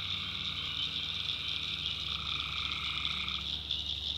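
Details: A nighttime chorus of tree frogs in a North Carolina backwoods swamp. A constant shrill, shimmering wall of calls carries lower trills that swell for a few seconds and then fade, over a low rumble.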